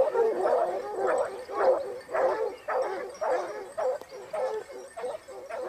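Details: Basset Hounds of the Topsfield Lebrera pack on a hunt in Spain, second hunting season 2015-16. Several dogs give loud, rhythmic bays, roughly two per second, with voices overlapping into a continuous chorus.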